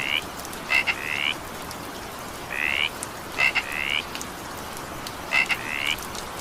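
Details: Evening rain with frogs calling, a pair of sharp clicks followed by a rising buzzy trill, the pattern returning every couple of seconds against constant rain hiss.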